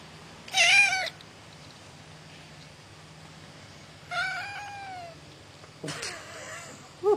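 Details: Sleep-loving Russian male cat Nichael protests at being woken, giving three meows: a short bright one, then a longer falling, whining meow and a final rougher cry, over a low steady hum indoors.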